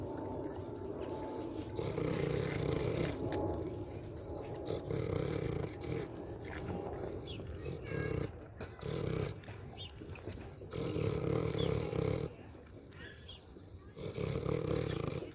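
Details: A pig eating and snoring, heard as bursts of low, raspy rhythmic grunting separated by brief quieter gaps, the rumbles returning again and again.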